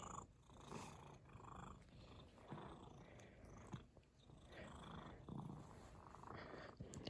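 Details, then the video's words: Domestic cat purring in contentment, a low, steady rumble that swells and fades in soft pulses about once a second, with faint rustling and small clicks around it. "The sound of a cat purring"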